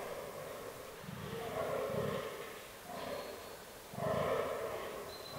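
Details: Fallow deer rut in autumn woodland: a few drawn-out, low, rasping groans about a second long, separated by short pauses, with a faint high tone near the close.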